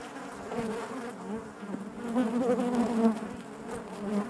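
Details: Inside a beehive, honey bees produce a thick, even buzz, a low hum with shimmering overtones that rises slightly in loudness toward the middle and fades back, with faint ticking throughout.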